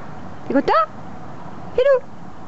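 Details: Filou, a red English cocker spaniel, crying because he wanted his blanket: two short, high, tonal whines with a bending pitch, about a second apart, over steady low background hum.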